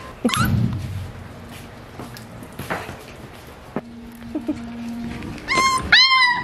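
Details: Beagle puppies between four and eight weeks old indoors: scattered small yelps and a short steady squeak, ending in a burst of high rising-and-falling puppy yips, with room noise and a voice.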